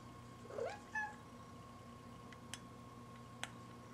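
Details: A single brief rising meow from Buddy, a female house cat, followed by a tiny chirp, then quiet with a couple of faint clicks.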